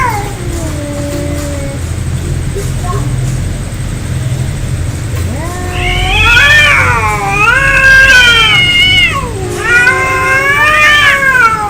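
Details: Angry cats fighting: low drawn-out moaning for several seconds, then loud wavering yowls that rise and fall in pitch, overlapping in long howling phrases with a steady background hum.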